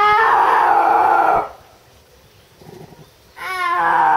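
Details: Milcha, a snow leopard (Panthera uncia) at Tama Zoo, recorded in October 2012, gives loud, drawn-out wailing yowls, each held steady then sagging slightly in pitch; possibly the mating season has begun.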